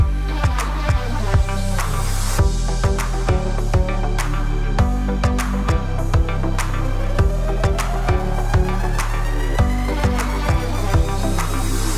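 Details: Electronic dance music with a steady thumping bass beat, dense synth layers and a rising tone sweep; no animal voice is heard.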